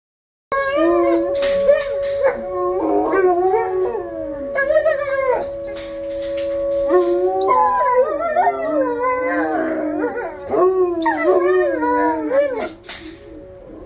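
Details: Two dogs howling together, set off by the monthly severe weather siren test: long wavering howls with sliding, overlapping pitches, some rising and falling, over a steady mechanical siren tone that runs throughout.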